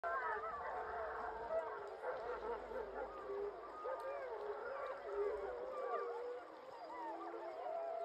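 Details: A 15-member Yellowstone gray wolf pack gives a minute-long victory howl the morning after killing and eating a large male buffalo, many voices sliding up and down in overlapping, wavering tones.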